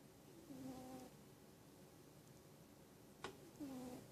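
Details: Sleeping pet cat snoring: two drawn-out nasal tones, low and steady with faint overtones, about three seconds apart, with a sharp click between them against a quiet indoor background.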